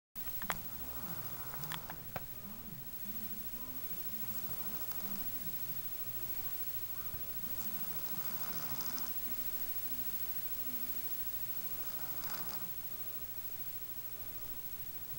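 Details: Boo, an elderly female pet cat, snoring because of a tumour in her nose; a low rasping drone wavers up and down in pitch through the first nine seconds, then steadies, over a constant hiss.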